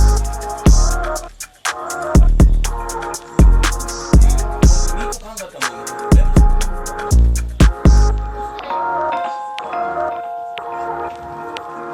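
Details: Upbeat music with sharp percussive hits and bright mallet tones fills the recording and thins out near the end; no animal sound is audible.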